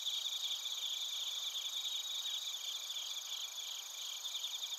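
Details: Suzumushi bell crickets and other crickets in Narita, Chiba Prefecture, Japan, recorded on a TASCAM Portacapture X8; a dense, continuous high shimmering chorus of overlapping pulsed trills in several steady high bands, no other sounds.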